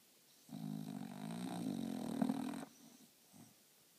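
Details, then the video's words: French Bulldog snoring while napping in a funny position: one loud, long, rattling snore of about two seconds with a wheezy edge, followed by a soft short breath. "French bulldog snoring in funny position"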